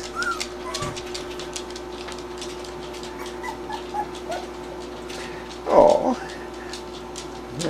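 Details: Three-week-old puppies, recently fed and just beginning to move around, stirred when their mother jumped in; one short yelping whimper breaks through near the end over a steady low hum, with faint scratchy background noise.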